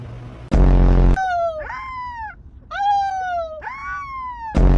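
Rottweiler puppies give high, arching whines that rise and then slide down, one after another.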